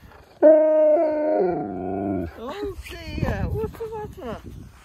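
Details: Key the husky talking to get what he wants: a long, loud, steady howl-like yowl lasting nearly two seconds, sliding slightly down, then wavering vocal chatter overlapped by a person's voice.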